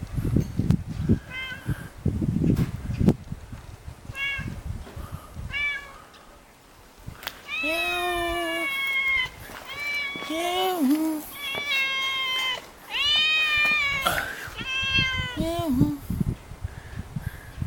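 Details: Hungry stray cat begging for food in a village alley in Jeonju, North Jeolla Province, Korea: a string of loud, drawn-out harmonic meows, each arching then falling, after low rumbling handling noise at the start.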